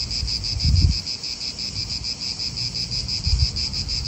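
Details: Cicadas keep up a bright, pulsing buzz in an Italian park, while a couple of low thumps and gusts of wind break through the quieter background.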